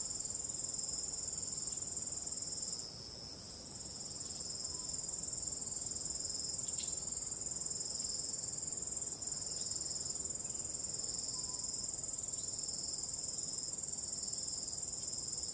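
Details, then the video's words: Starry-night cricket chorus with gentle wind: an unbroken high-pitched trilling, quieter for a moment early on, otherwise steady. "Starry Night | 45 min of ambient relaxing cricket sound"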